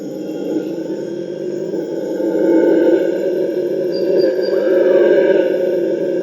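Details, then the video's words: Wild Purus red howler monkeys howl together in rainforest, a sustained low roaring drone that swells louder after about two and a half seconds and stays loud with a rough, grinding texture. "The TERRIFYING sounds of Howler monkeys"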